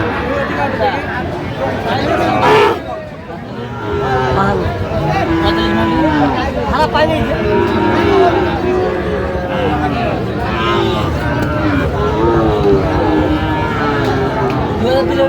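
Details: At the Aftabganj haat on 16 August 2025, Sahiwal bull calves offered to Dhaka farmers give repeated arching moos, several overlapping from about six seconds on. A dense murmur of traders' voices and a brief knock near the start fill the background.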